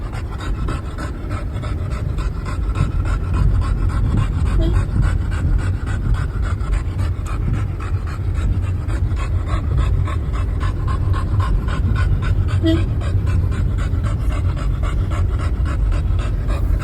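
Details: Mikku, an American Bully overjoyed to be out travelling with his family, pants quickly and steadily throughout. The rapid, even breathy pulses keep up without a break.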